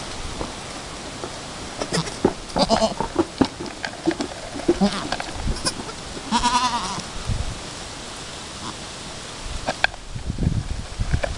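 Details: Alpine goat at her first kidding with her newborn kid, two hours after the birth, as both try to work out nursing; a single quavering, wavering bleat rises midway, set among rustling, shuffling and soft thumps.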